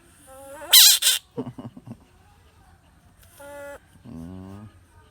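A bullfrog lets out a loud, harsh scream, followed by shorter wavering, nasal cries.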